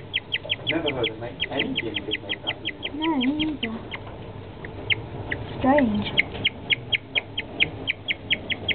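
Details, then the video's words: A guinea pig suddenly and unexpectedly chirps like a bird, a rapid, steady run of high peeps about six per second, with a person's voice breaking in twice. "Guineapig making bird noises!!"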